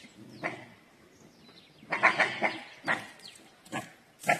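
Harsh, squeaky yelps from a dhole come in brief bursts, some doubled, spaced irregularly over a few seconds. These shrill alarm calls stand out over a quiet forest background.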